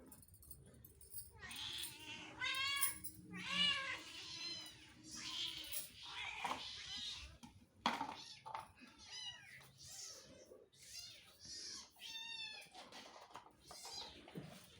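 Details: Several pet cats asking for food, giving a run of high, harmonic meows in quick bursts, some rising then falling, with chattering and clattering indoors between them.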